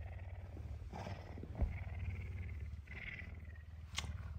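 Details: Hungry puma wanting breakfast early on a Tuesday morning, in an affectionate mood; low, rapidly pulsing purr held throughout, with brief soft scrapes and a short sharp click near the end.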